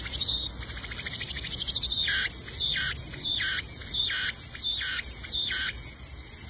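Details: Cicadas in the wild, calling from trees, sing a shrill, buzzing chorus, rising into rhythmic pulses about every second.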